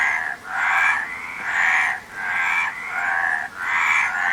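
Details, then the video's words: Rhythmic frog croaking, grating pulsed calls about a second long, each followed by a brief lull before the next, several in quick succession. "Frog Sound"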